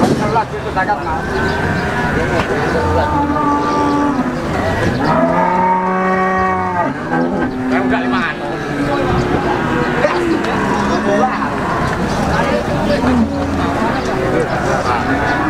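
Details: At the Wagenan livestock market in Pati, Peranakan Ongole cattle call repeatedly. A loud, long, wavering bellow sounds midway, with shorter lower moos before and after, against vehicle noise and voices.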